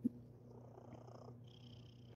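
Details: Sir Titan, a pet cat, purring while being super cuddly indoors; a soft, steady low rumble runs unbroken through the stretch, with a faint high tonal hum above it and no voices.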